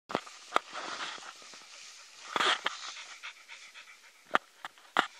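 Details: Norwegian Elkhound in Ireland, breathing in quick, breathy, hissing pants with sharper clicks and snorts at irregular moments, louder bursts near the start, middle and end, with no other clear sounds.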